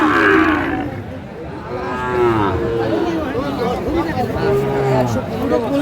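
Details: Sahiwal bull calves lowing at a cattle market in Sylhet, Bangladesh, on 24 December 2024, drawn-out harmonic moos rising and falling amid a loud crowd of men talking and bargaining.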